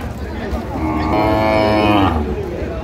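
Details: At Ambari haat in Dinajpur, Bangladesh, on 8 August 2025, a cow among thin animals offered for sale lets out a full, rich moo lasting about a second, with murmuring buyers and sellers around it.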